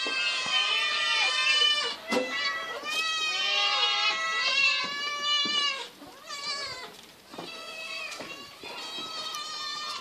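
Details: Eight hungry cats being fed fish, crying loudly in a dense chorus of overlapping, drawn-out meows and wails. The noise runs almost continuously, with brief dips and pauses in between.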